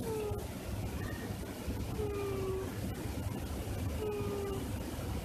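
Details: Hina, an adult cat, asleep and snoring on a lap. Brief, slightly falling whistled notes sound roughly every two seconds over constant low background hiss and rumble.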